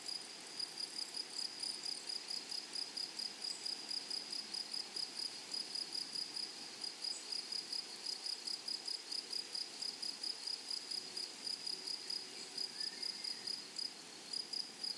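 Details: Meadow grasshoppers keep up a high, piercing pulsed chirp at a brisk steady pace, with a thinner buzzing layer above and a brief faint rising whistle late on.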